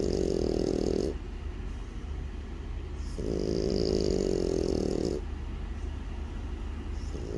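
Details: French Bulldog asleep and snoring: two long, gravelly low snores separated by quieter wheezy breaths, with another snore beginning at the end.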